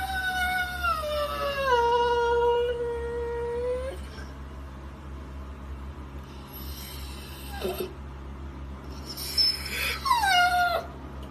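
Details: American Bully dog's long, wavering moan gliding down and levelling off over about four seconds, followed by a short falling whimper and, near ten seconds, a sharper descending whine; constant low hum in the room.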